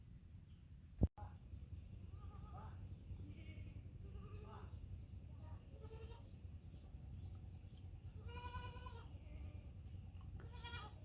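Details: A baby goat calls for its mother with a series of short wavering bleats, several spaced through the clip, the loudest near the end, over a steady low rumble and a sharp knock at the start.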